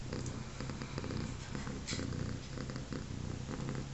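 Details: A three-legged mother cat lying with her day-old litter of newborn kittens gives a continuous deep purr, pulsing roughly once a second, with light rustling and small clicks over the low rumble.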